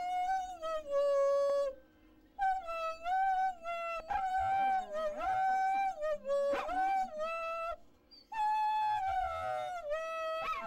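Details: Pet dachshund "singing" in a performance: long, sustained howled tones with a wavering, falling then rising pitch, broken by short pauses, with a faint musical background.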